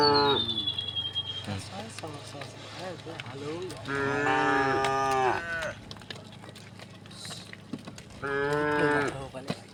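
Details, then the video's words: Herded tame cattle moving together over a wooden bridge to the fields, several low moos and grunts followed by two long, strong, steady moos about four seconds apart, with a brief high bird note at the start. "the sound of cows mooing"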